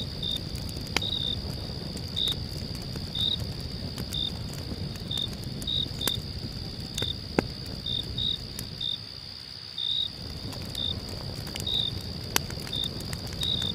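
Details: Crickets at night by a campfire give a steady high trill with short chirps repeated about every second, over a crackling fire.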